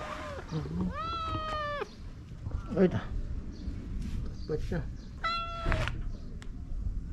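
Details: Stray cat in a Japanese park, affectionately rubbing up against a person: a short falling mew, then a long level meow, rustling and handling noises, and another drawn-out meow near the end, with occasional human voice.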